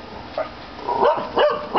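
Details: Corgis give short, sharp barks in quick bursts, each with a brief harmonic ring, at a grey-and-white cat standing on the other side of a fence.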